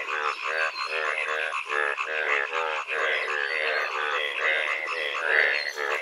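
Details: Frogs calling on a rainy-season day in rural Bengal: a dense chorus of rapid, rattling croaks overlapping continuously, with several callers pulsing at different rates and some higher, bleating notes on top.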